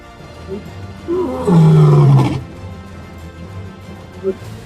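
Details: Lion (Panthera leo), roar: signaling position to other prides and asserting dominance.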